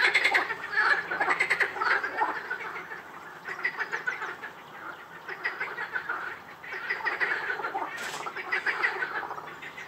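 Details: At Rainham Marshes, a dense frog chorus of overlapping rattling, croaking calls pulses continuously without pause.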